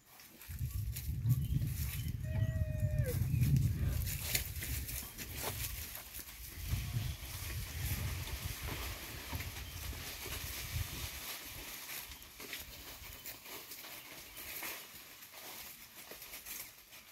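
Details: Young rhinoceros calf named Peter moaning as he follows his mother Esmé while she scratches on tree bark: deep, drawn-out low moans in two long bouts, with a brief higher tonal squeal between them and background rustling.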